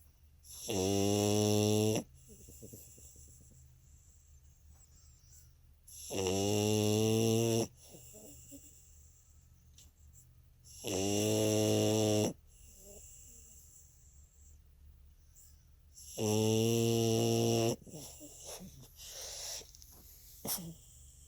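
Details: French Bulldog asleep, snoring steadily: four loud, drawn-out, rumbling snores, each about a second and a half long, come roughly every five seconds, with quiet wheezy breathing between them.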